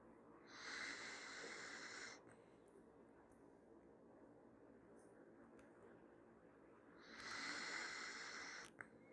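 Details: Dachshund puppy Max sleeping through his first snores, two breathy, hissing inhalations about six seconds apart, each roughly a second and a half long, with quiet stillness between them.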